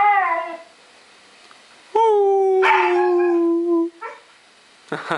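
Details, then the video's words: Young Siberian Huskies howling together: long, steady, tonal howls with clear harmonics, one drawn out for about two seconds and then dropping slightly, with shorter howl fragments before and after, plus some brief yips near the end. "Young HUSKIES HOWLING"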